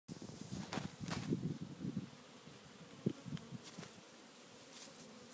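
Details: African honey bee swarm that has fallen heavily onto the ground, searching for its queen and forming decoy protection balls: a soft, low, droning buzz with scattered sharp ticks and rustles, fading to a quieter hum.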